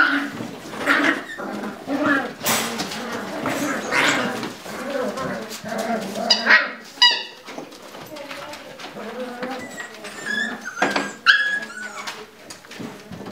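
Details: Lagotto Romagnolo puppies scuffling together in their puppy pen: high, wavering whines and sharp yelps with a few short barks, rising and falling in bursts, mixed with human voices and rustling.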